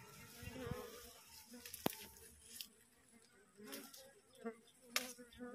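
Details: A wild honey bee colony just split from its nest, swarming in transit on a cassava plant while the queen is sought; a steady low droning hum with layered tones, broken by sharp clicks and faint human voices.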